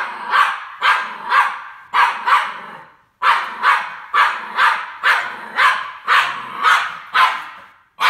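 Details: A Norwich Terrier confronting a C-3PO figure from Star Wars lets out quick bursts of loud, harsh barks, about fourteen in eight seconds, grouped in twos and threes, with a brief pause near the middle.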